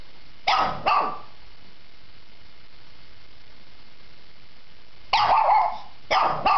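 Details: Pairs of quick, harsh barks from a Shih Tzu, two at the start, then a long silence before another close pair.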